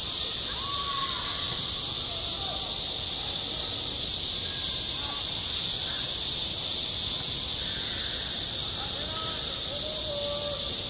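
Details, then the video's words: Cicadas singing on a school playground in midsummer: a dense, unbroken high hiss fills the whole clip at steady loudness, with faint voices and scattered short chirpy sounds far below. "한 여름 운동장에서 매미가 울고 있다 - 여름의 소리, 학교 종소리, 매미 울음소리"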